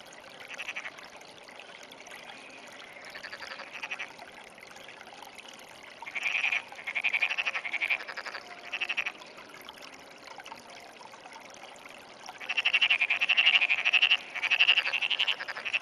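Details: Frog calling often in the early morning of 17 June 2009: rapid pulsed trills of fairly high pitch, repeated in bursts of one to two seconds, the loudest near the end.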